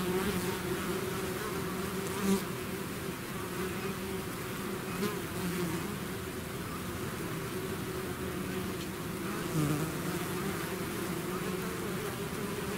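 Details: Swarming bees leaving their hive make a continuous low humming drone, many wings blending into one even buzz, with a couple of nearer bees briefly swelling louder as they fly past.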